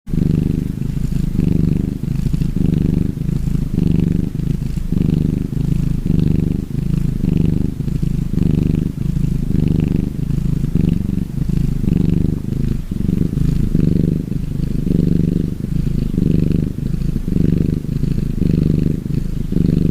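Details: A relaxing gray tabby cat (Felis catus) purrs steadily, a low rumbling vibration pulsing with each breath.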